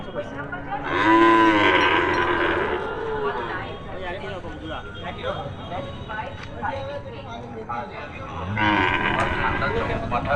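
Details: Cattle at a market lowing; a loud, drawn-out harmonic moo early on, then softer murmurs with people talking nearby and a second loud burst at the end, with background music.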